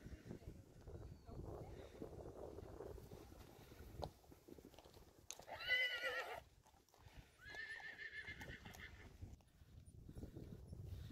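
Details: Friesian horse foals, five of them setting off without their mothers, neighing: a loud quavering whinny near the middle, then a second, longer harmonic neigh, over rustling, hoof and movement noise.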